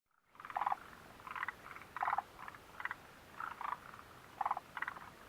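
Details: Frogs calling near the Mitsuishi mountain refuge hut on June 29, 2013: short bursty, rattling croaks repeated in clusters about every half second to second, with several overlapping callers and a quiet background.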